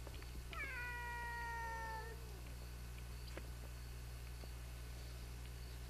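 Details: Mother cat and her grown son in a serious fight: one long drawn-out yowl with stacked harmonics, held level then sliding down, lasting about two seconds before falling quiet, over a steady low hum.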